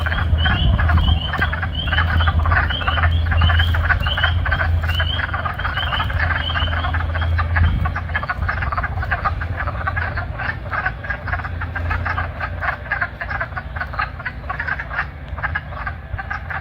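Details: Wood frogs call from a vernal pool near the end of March, seeking mates. Their low, duck-like clucking croaks mix with high spring peeper peeps, and birds are heard in the background.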